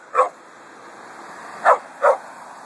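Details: A dog barking on a hot August day during a walk in a cemetery: one sharp bark, then a quick pair of barks about one and a half seconds later, over a steady background hiss.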